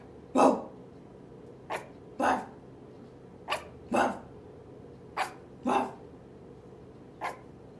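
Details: An 8-week-old merle toy Chihuahua puppy, whole body shaking as it barks back, gives short, sharp, high yaps, usually a quick thin one followed by a fuller bark.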